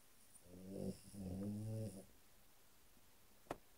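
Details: Sleeping French Bulldog indoors, giving two snores in quick succession, each a low, buzzy, rattling rasp lasting under a second, followed by quiet and a single sharp click.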